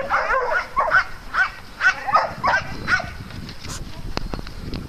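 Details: Farm dog at play, giving about seven quick, mid-pitched barks in the first three seconds, then quiet rustling and faint clicks.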